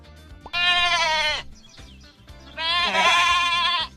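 Two drawn-out, wavering bleats from a sheep, each about a second long, with a soft music bed underneath.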